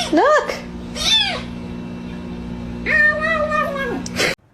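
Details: Domestic cat giving three drawn-out, arching meows: two short rising-and-falling cries in the first second and a longer level wail near the end, with a steady low hum and human voices in the background.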